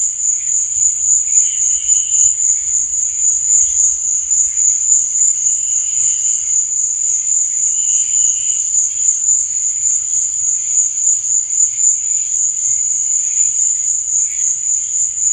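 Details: Nighttime cricket chorus: a continuous piercing high trill carried throughout, and short brighter bursts of chirping every few seconds over a soft low rumble.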